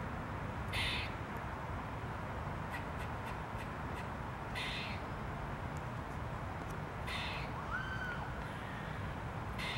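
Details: A grey squirrel gives harsh, rasping alarm calls every few seconds, with short clicking chucks between them, recorded 15 October 2022.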